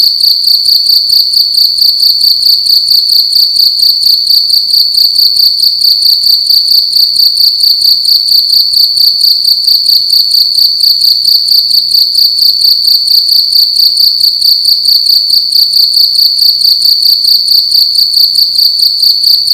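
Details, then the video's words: Cricket making loud sounds in a room during the night: shrill, high, continuous chirping in fast regular pulses, about two per second, nothing else audible. "Cricket making loud sounds at night in a room"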